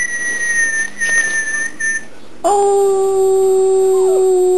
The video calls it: howling puppy